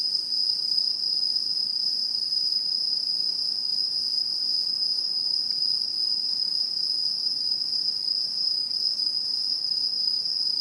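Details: Autumn insects singing in a satoyama landscape in Japan, 2016, a relaxing scene: continuous shrill high trilling, steady in loudness for the whole stretch, with faint overtone bands and a quiet low background hiss.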